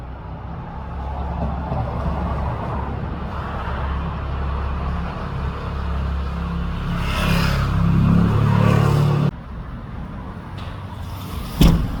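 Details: A vehicle engine rumbles and revs outdoors, rising in loudness before cutting off abruptly, with no kitten or other animal sound audible.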